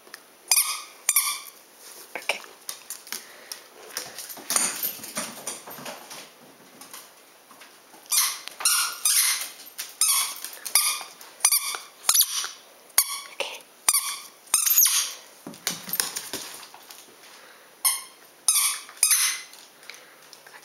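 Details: Gracie, a black Miniature Poodle, playing with a ball; a run of high, thin, squeaky yips with stacked overtones, in bursts separated by short pauses over about twenty seconds.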